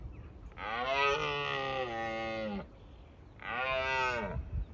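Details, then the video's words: Two long, rich, bellowing roars from a red deer stag in Bushy Park during the rut, used to warn off rival stags. The first lasts about two seconds, the second is shorter, with a quiet pause between. "Roaring Wild Red Stags"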